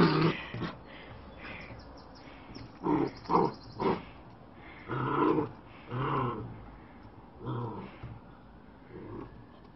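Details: A fluffy black-and-white Bearded Collie puppy playing fetch with a ball gives low, gravelly growls in short bursts a second or so apart, some huffier like muffled barks, with quiet gaps between.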